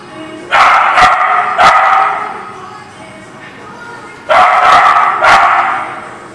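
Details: A dog barking at a dog lot, recorded 3/9/20: four loud, sharp barks in two pairs, about a second apart, separated by a quiet stretch of low background hum.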